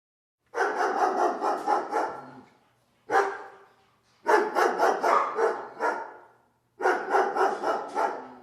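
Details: Dog barking in four rapid bursts of several sharp, harsh barks each, the bursts separated by short pauses of about a second, with no other clear sounds.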